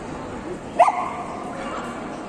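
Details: Golden Retriever at a single-breed dog show in Yekaterinburg on 19 December 2021, junior males class; one short sharp bark rising from the steady indoor hall murmur, followed by a faint trailing sound.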